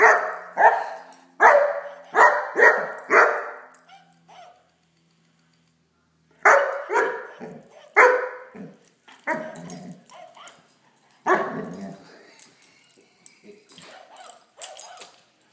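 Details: Playing with a toy dog, a Great Dane puppy barks in rapid volleys of four to six, each bark sharp and quickly fading. A silent stretch separates the two main bursts, and a person talks briefly before.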